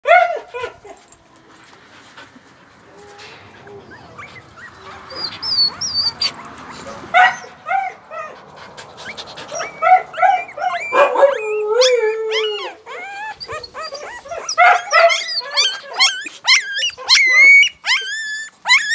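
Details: Husky puppy named Molly, calling in a string of high whining yelps and squeaky whimpers that grow louder and more frequent in the second half, with harmonic rising and falling cries; a person's voice is heard faintly early on.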